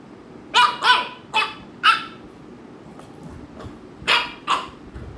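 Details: American Bully dog barking at a second dog it is annoying, sharp barks in two quick pairs near the start, two single barks, then another quick pair near the end.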